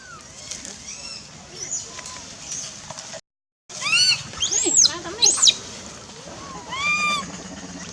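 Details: Hungry wild baby monkey Lizza calls for its mother in the Angkor Park forest: loud, arching, harmonic-rich wails come irregularly, broken by a short silent gap, then several strong overlapping cries.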